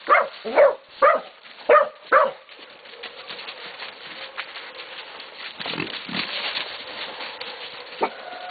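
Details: At Golden Creek Catahoulas Kennel, Catahoula and BMC pups 11 to 16 weeks old bay a pig; five quick, strained barks open, then a stretch of rustling commotion with a few scattered yelps.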